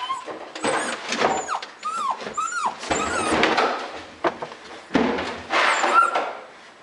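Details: Toy Fox Terrier hunting a mouse indoors behind shelves and in closets, giving high, arching whines and squeals in quick bursts amid bumping and rustling as people search alongside her.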